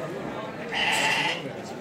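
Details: Merino lambs at the Kadirli live animal market in Turkey on 16 May 2024, being called over and described as next year's sacrifice animals; one wavering bleat of about half a second mid-clip, with a man talking before and after.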